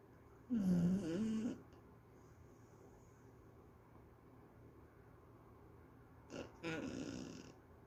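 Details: Pet dog Mafi asleep and dreaming, snoring indoors: two loud rasping snores about six seconds apart, each around a second long with a wavering whiny tone inside, quiet breathing hiss between them.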